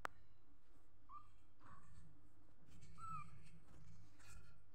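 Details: Small kitten mewing quietly: three quick, high, slightly falling squeaks within about two seconds, then soft shuffling noises. A constant low hum fills the background.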